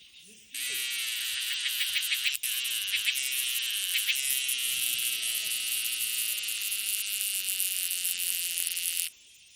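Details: An insect on a tree gives a loud, shrill, steady buzz that switches on abruptly and holds for about eight seconds.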